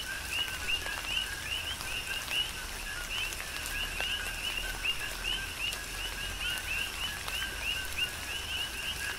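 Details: Rain falls on the Big Island, Hawaii, as coqui frogs keep up a dense rhythmic chorus of bright, rising whistle-like calls, closely spaced and overlapping, with scattered raindrop clicks and soft rain hiss.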